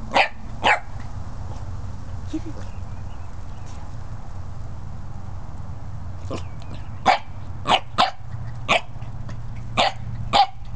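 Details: Barking Corgi: two quick barks, a long quiet gap, then a rapid run of about ten short, punchy barks in pairs and clusters, with a low constant hum underneath.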